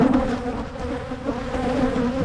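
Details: Honeybees in Michigan hives being divided to head off swarming; a steady, droning buzz with a low humming tone, uniform in loudness over the short stretch.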